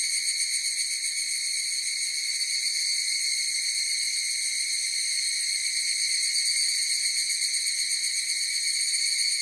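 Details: Higurashi cicadas singing together in a chorus. A dense, unbroken metallic ringing sits high in pitch, shimmering with rapid, uneven pulses at a nearly even loudness from start to finish.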